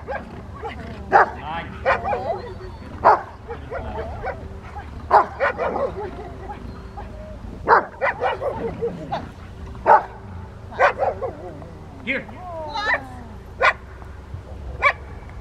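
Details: Rottweilers Freya, Poncho and Peaches at obedience training with distraction, Victoria Rottweiler Club, May 2, 2021; sharp, short barks burst out irregularly, roughly once a second, over a murmur of human voices.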